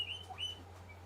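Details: Pet guinea pigs squeak indoors to remind their owner to feed them. Two short, high, thin squeaks come close together, then a fainter third, all over a steady low electrical hum.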